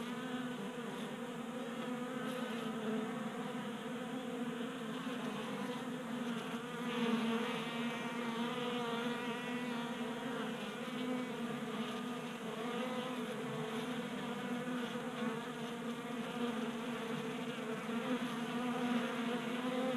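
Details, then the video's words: Many honey bees feasting at a 3D printed feeder on a garage workbench in Colorado, active in unseasonal January warmth; a dense continuous droning hum, rich in stacked harmonics, with slight wavering as bees come and go. "45 Minutes of Honey Bees Feasting from 3D Printed Bee Feeder ASMR"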